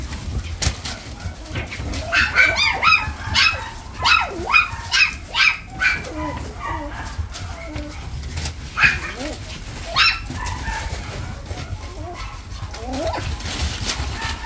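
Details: Toy Poodle with a white marking on its chest, giving a quick run of high, sharp yips and short barks, about two per second for several seconds, then scattered single yips over steady background noise.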